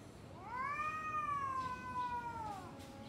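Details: Domestic cat before a fight with another cat: a single sustained, rising yowl that holds steady and slowly sinks, lasting over two seconds, with a quiet low background.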